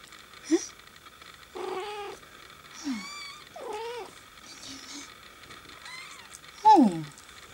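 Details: Persian cat giving a string of short meows, some rising then falling, spaced about a second apart, with one louder, downward-sliding meow near the end over a faint steady background hum.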